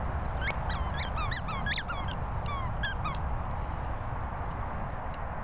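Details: Squeaking Patterdale Terrier named Pip: a rapid string of high, whiny squeaks, some bending downward, packed into the first three seconds, then quiet apart from steady low noise.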